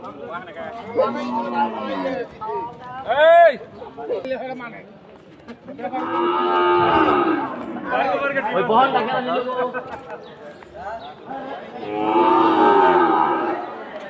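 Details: Cattle at a cattle market in Bhaluka, Mymensingh, Bangladesh, giving several separate deep moos spaced a few seconds apart, each swelling and fading, mixed with people talking nearby.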